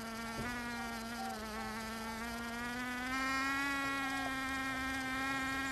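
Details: Bees in Brittany's Finistère, western France, shown doing more than foraging; a steady droning buzz broken by a faint click near the start, its pitch gently rising and the sound growing louder after three seconds.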